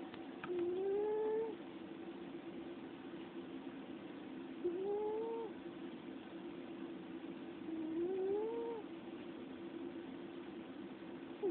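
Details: Pet cat asleep indoors, snoring softly: each breath brings a thin, rising whistle-like tone, repeating roughly every three and a half seconds over a steady low hum.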